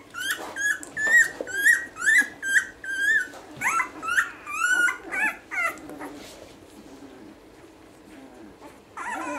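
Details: Several week-old basset hound puppies crying in a small room: a rapid run of high, wavering squeals roughly twice a second for six seconds, then fading to quiet shuffling and one last short whine.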